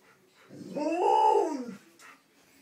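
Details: Nine-week-old puppies: a single drawn-out whining howl that rises, holds and falls over about a second, with faint rustling before and after.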